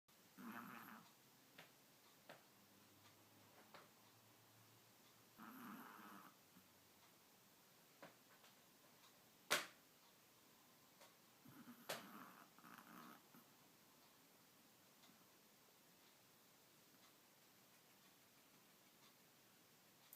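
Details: Chihuahua making funny snorting noises in a quiet room; three soft nasal snort bursts near the start, middle and after twelve seconds, one sharp click around nine seconds, otherwise near silence.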